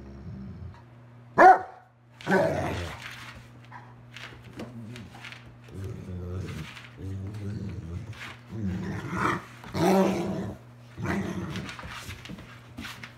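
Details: Two vocal Old English Sheepdogs, Wallace at nine years old and Gustavo at a few months, at play; a sharp bark then a run of low rumbling growls and grumbles in bursts, with a steady hum underneath.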